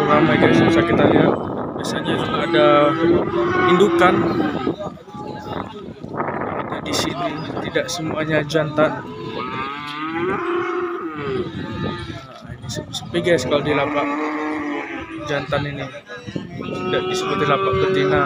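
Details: Market pen of calves and young bulls, many cattle calling at once; repeated short moos and longer bellows crowd together, mixed with clattering, knocks and some human voices.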